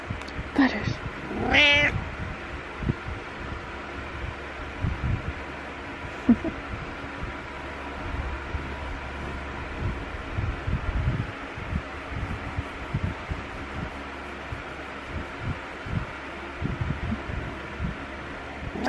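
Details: Domestic cat meowing in the morning to wake its owner while headbutting: two short, clear meows near the start, the second longer with bright harmonics, then a long stretch of low room noise with a faint soft sound midway.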